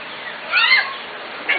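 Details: Corgi puppies from the Katie, Emma and Annie litters, five to six weeks old, filmed 25 June 2014: a single high, arching yelp with bright harmonics rising and falling, then a short squeak at the end, over a light background hiss.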